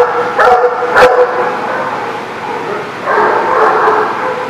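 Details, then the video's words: Dogs barking on June 29, 2019: a sharp bark, then a louder one a moment later, and a longer, ragged burst of barking near the end, all over steady broadband background noise. "The Barking Lot"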